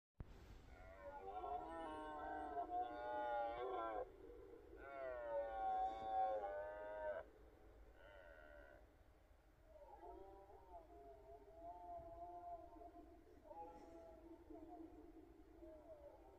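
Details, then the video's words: Red deer stags roaring on a morning during the rut: two long, loud, harmonic roars lasting about three seconds each with wavering pitch, a short grunt, then fainter, more distant roaring continuing over a low background rumble. "Rykowiskowy poranek posłuchajcie"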